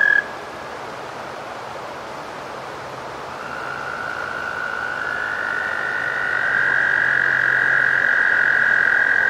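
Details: American toad trilling: after a brief opening note, a sustained high even trill builds in, joined by a second slightly higher trill so two toads overlap in a steady, ringing chorus over faint hiss.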